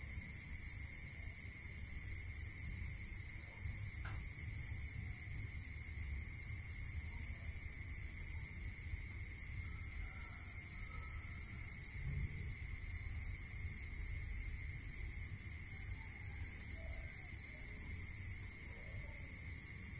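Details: Night chorus of crickets in the countryside, with high, beaded pulse trains broken by brief gaps, layered over a constant ringing tone and a dense upper chirring. A soft low background rumble runs throughout.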